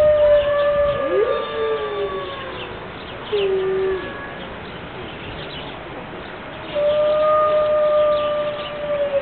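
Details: Group of five Siberian wolves in Berlin Zoo, rainy morning; several overlapping howls, one bending down in pitch while others hold level, a short lower howl in the middle, then a long sustained howl with a higher voice layered above.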